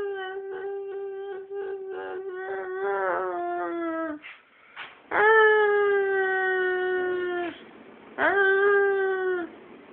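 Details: Dog singing in a wavering, pulsed howl that quivers rapidly and drops off, then two strong, sustained level howls with a faint background hiss.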